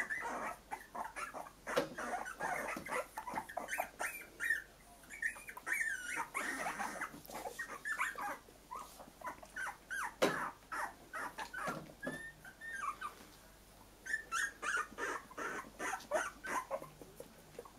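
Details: A litter of newly mobile Cocker Spaniel puppies in a puppy pen gives a steady stream of high, short whimpers and yips, several voices overlapping.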